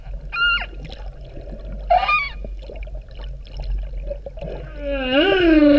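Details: Humpback whales off Vava'u, Kingdom of Tonga, in October 2017, heard underwater. Short tonal cries with bright overtones come at the start and near two seconds, then a long rising-and-falling moan closes the recording. Water noise runs throughout.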